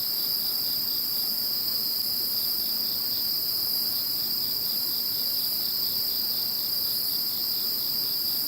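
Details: Insects calling after Typhoon No. 21 has passed: a dense, unbroken chorus of shrill, ringing trills stacked at several high pitches, steady and even from start to finish.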